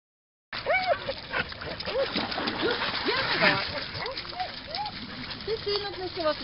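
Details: Dogs by the lake at Lida Nature Reserve on a summer day: a quick run of high, arching yelps and whines, several per second, over steady wind noise with Swedish speech alongside.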